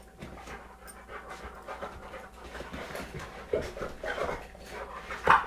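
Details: American Bulldog, 3.5 years old and 100 lbs, and an 11-month-old 25 lb beagle wrestling on a sofa indoors; rapid breathy panting and huffs, with sharper bursts of snorting toward the end.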